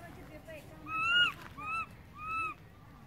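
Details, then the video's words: Young monkey Berry calling loudly for mom while Beaker wanders off, giving three piercing, slightly rising-then-falling cries in a row, the opening one drawn out, the others shorter, over quiet background. "Cute baby Berry crying loudly for mom, Beaker go far away from Berry, baby monkey calling mom"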